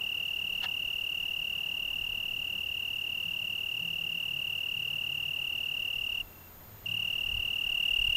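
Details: June evening in the Algarve, Portugal, 2010: an Italian tree cricket gives a long, even, high-pitched trill without pause for about six seconds, breaks off briefly, then resumes at the same steady pitch.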